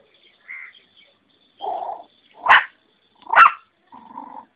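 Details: Puppies scrambling and playing together; short yips and two sharp barks, with a brief growl-like low note at the end, separated by silences.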